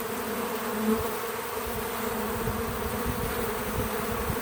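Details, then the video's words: Bees visiting a feeder outdoors on a small farm, giving a steady low hum with two even tonal bands, unbroken across the whole stretch, with faint soft rustles underneath and no music or talking. "Relaxing Bees at the Feeder 🐝 | Natural Buzzing Sounds"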